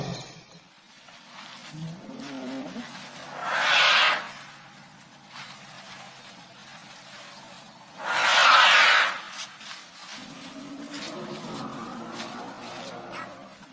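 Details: African elephant trumpeting twice, each burst harsh and hissy, reaching high pitches and lasting about a second, spaced around five seconds apart over a steady low background murmur.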